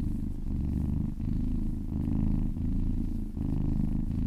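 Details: A kitten purrs under a gentle massage, the low throbbing rumble cycling with each inhale and exhale at an uneven pace of a little under a second.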